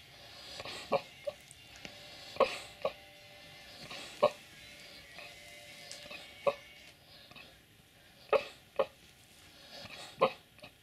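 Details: Boxer named Nestor asleep and dreaming, letting out short, high yipping whimpers in irregular bursts, about a dozen across eleven seconds, some coming in quick pairs, over soft background music.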